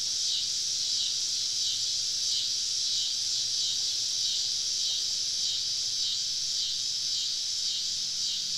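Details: Evening summer chorus of numerous cicadas deep in southern woods during a camping trip: an even, piercing buzz with a gentle rhythmic throb, and a faint low hum below.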